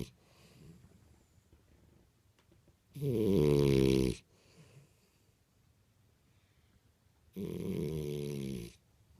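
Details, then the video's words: Imohei, a French Bulldog, asleep indoors, gives two loud, raspy snores about four seconds apart, each lasting over a second, with quiet breathing between. "フレンチブルドッグ イモ平のいびき"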